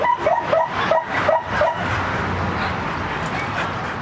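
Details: Puppies giving a quick run of short, high whimpering yips, about three per second for under two seconds. The cries then stop, leaving a steady broadband hiss to the end.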